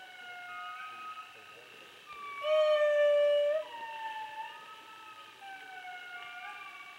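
Indri giving long, wailing tonal notes that slide and overlap like a mournful chorus.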